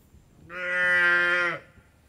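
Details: Cow on an Indian dairy farm with a single steady, strong call lasting about a second, even in pitch and ending abruptly, against a quiet background.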